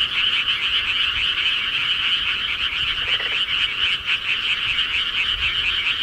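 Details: Frogs in the countryside at night keep up a constant chorus of fast rattling croaks, overlapping into one even band of sound, with a faint brief lower note near the middle.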